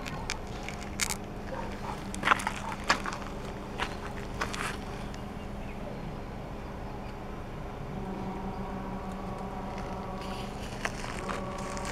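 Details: Outdoor rural scene with footsteps, crunching and crackling, faint voices in the background and a steady low hum.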